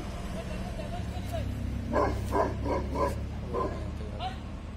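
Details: Tibetan Mastiff in a public setting, giving about five loud barks in quick succession midway through, then a final bark, over a steady low traffic rumble and voices.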